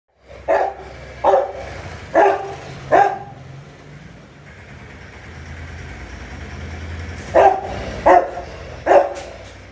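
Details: Rottweiler guard dog barking while playing aggressively with its trainer; seven loud, deep barks, four spaced about a second apart, a pause of several seconds, then three more, over a steady low background hum.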